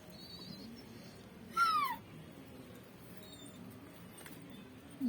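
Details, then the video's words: Indoor pet dog, apparently called Tiger, whining to be let outside: a single short, thin, falling whimper lasting a fraction of a second, with a faint brief squeak near the end and low room noise throughout. "my dog is talking"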